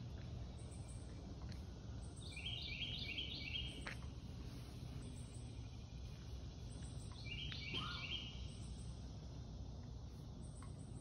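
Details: Early morning on July 14, 2021: a thin, high insect trill pulses steadily over a low rumble, with brief bird chirps.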